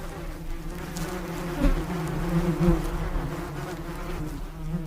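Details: Bees buzzing in a continuous, dense low hum that swells slightly and fades over a few seconds, several insects overlapping with no gaps or other sounds.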